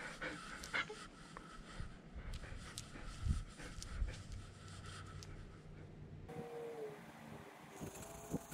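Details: German Shepherd service dog Nala, left home alone and wearing a GoPro camera, panting in steady low breathy puffs with a few soft knocks, then an abrupt shift to a quieter room tone with a faint brief tonal sound near the end.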